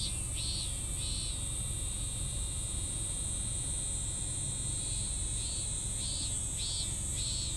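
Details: Unfinished cicada song: a couple of arched, buzzy pulses at the start, a long gap, then a few more near the end, with a constant high-pitched insect drone and low rumble behind.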